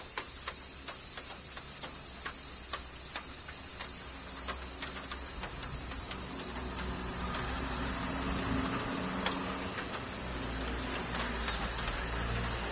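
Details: Summer rain with cicadas in Kyoto, Japan: a continuous high sizzling buzz, a rapid run of raindrop ticks, and a low steady hum and faint humming tones underneath.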